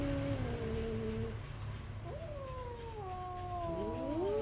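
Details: Cat giving several drawn-out, wavering meows with harmonics, some falling and some rising, overlapping one another as more than one voice calls, over a steady low hum.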